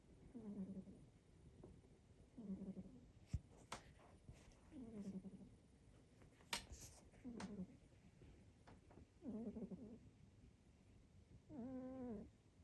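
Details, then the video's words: Snoring pet cat Calvin, whose short nose causes his habitual snoring, gives steady low buzzy snores repeating about every two seconds, six in all, the last one louder and wavering; scattered clicks and small knocks sound between breaths in a small room. "Calvin snores"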